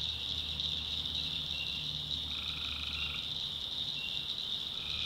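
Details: Tree frogs in a North Carolina backwoods swamp after dark: a single prolonged buzzy call of about a second emerges from a constant bright chorus, followed by another call starting near the end, over a faint low drone.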